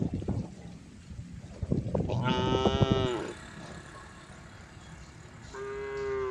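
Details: A herd of cows on the road, with a rumbling low-pitched background, then a harmonic moo starting a little after two seconds and another rising at the close.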